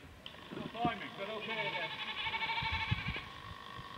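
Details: Little feral goat stuck on a very high ledge on Tryfan's north ridge, spotted by climbers: a short call, then a long wavering, tremulous bleat of nearly two seconds, with people talking nearby.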